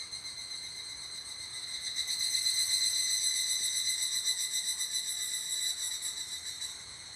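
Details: Evening cicada calling beside an abandoned toilet: a high, metallic, rapidly pulsing trill with evenly spaced beats, about four per second, swelling in loudness after two seconds and then fading slightly toward the end.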